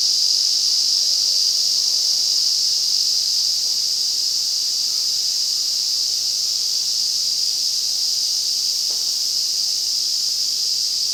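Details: August in the Afan Woodland, Nagano, Japan: an overwhelming chorus of Ezo cicadas in deep forest. Their high, continuous sizzling drone stays level across the clip, with a faint brief click near the end.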